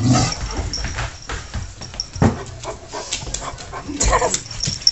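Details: Pet dog Taz, in a scuffle with the cat Sky, makes brief whimpering yelps and soft grumbles against a low background hum.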